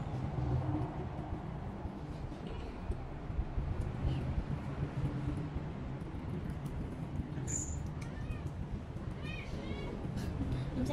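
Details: Jupi, a cat still eating little and being taken to a shelter to relax, gives a couple of short, faint, high harmonic meows near the end over steady low background rumble and murmuring voices.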